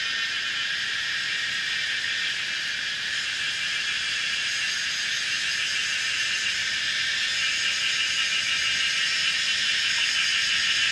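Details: A dense, lively chorus of Kaempfer cicadas (Platypleura kaempferi) sings a steady high hissing buzz with rapid pulsing throughout, on a mountainside bend of old Route 106, Pinghe Village, Taiwu Township, Pingtung, Taiwan, 19 May 2016 at 17:30.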